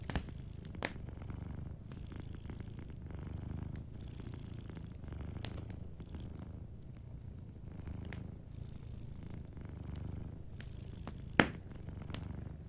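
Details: Gentle purring of a cat asleep by a fireplace: a deep, even rumble that rises and falls in slow breaths, with frequent light crackles of burning wood and one bright pop late on.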